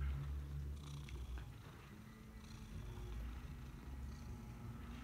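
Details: Steady low purring from a pet cat, a soft buzzing drone that stays even throughout, a few tiny ticks and rustles in the background.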